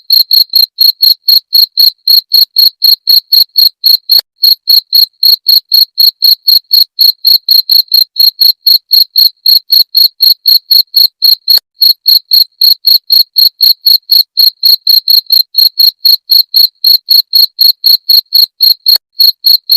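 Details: Jangkrik genggong cricket, used as a rat-repelling sound. A long, unbroken run of high metallic chirps, roughly four each second, keeps a steady rhythm with only tiny hitches throughout. No other noise.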